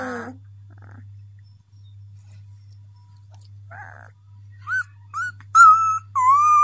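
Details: Hungry 13-day-old black-and-tan Beauceron puppy calling for its mother: after a quiet start, a few short whines, then longer, louder rising-and-falling whimpers in the last two seconds, in a small room with steady low hum.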